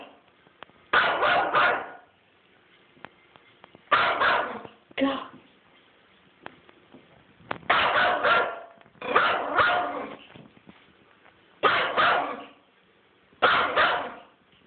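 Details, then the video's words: Teacup Yorkshire Terrier barking while chasing turtles, shrill rapid yaps in tight clusters of three or four, repeated roughly every one to two seconds across the recording, with short quiet gaps and a person's voice nearby. "Teacup Yorkie Chasing Turtles"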